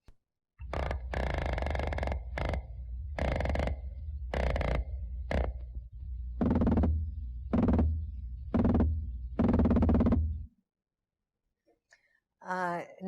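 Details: Atlantic croakers, which form large groups and call from dusk for several hours each evening, drum in chorus: a deep, rumbling run of repeated knocking bursts.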